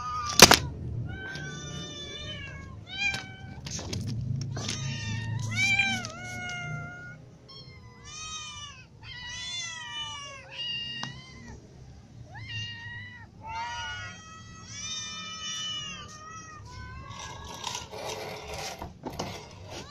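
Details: Hungry cats, a ginger cat among kittens and adults, meow for food: dense chorus of bent, harmonic meows, short high kitten calls layered over longer adult ones, low rumble and occasional clicks behind.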